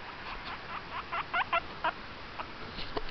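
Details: Pet guinea pig calling indoors: a run of short squeaky notes that rise and fall, loudest in the middle, over a low hum.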